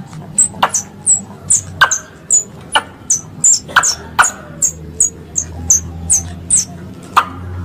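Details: Squirrel calls compiled as a hunting lure: a series of sharp, very high chirps, each with a short downward slur, repeated about every half second, mixed with clicking snaps and a low background hum.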